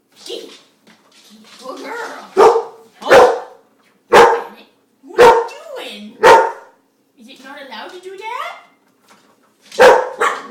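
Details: Pet dog Mississippi indoors, barking at a spinning dishwasher spinner that fascinates her; sharp barks come in clusters, roughly one per second, with a whiny rising vocalization and a person talking in between.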